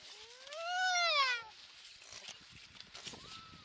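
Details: Baby harp seal on the ice off the Magdalen Islands, Canada, on 29 February 2020; one clear rising-then-falling wailing cry lasting over a second, followed by softer background noise and a faint cry from another pup.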